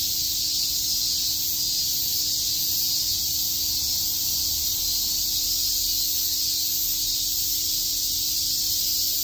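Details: Many cicadas chirp on a summer day in Shakujii Park, Tokyo, giving a constant bright, hissing wall of high buzzing that neither rises nor falls, with a faint low rumble underneath.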